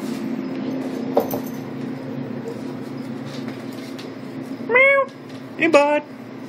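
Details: Nero, a Maine Coon cat, gives two short meows near the end, each a bright rising-then-falling tone, answering a person greeting him, with a low steady hum underneath.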